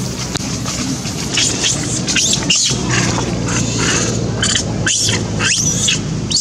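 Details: Hungry monkey Janet screams loudly for food, giving loud, broad, harsh shrieks that swell and break off every second or so over a constant low droning background.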